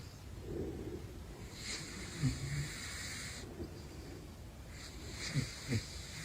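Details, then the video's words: Soft, breathy snores from the sleeping caracal Big Floppa, two faint drawn-out hisses separated by a longer quiet gap, with low thumps and a muffled indoor background. "Big Floppa is Snoring : Caracal"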